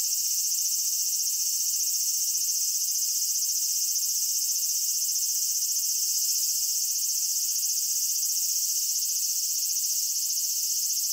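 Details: Continuous shrill cicada buzzing from Japan, dense and even, a high metallic hiss sustained for the whole stretch without breaks or other animals.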